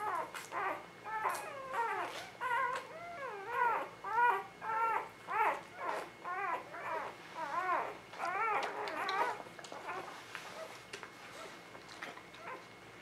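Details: Newborn puppies from a spring 2017 litter whimpering indoors, several voices overlapping in a busy chorus of short wavering, rising-and-falling squeals, pulsing in bursts about every second, with faint background hiss.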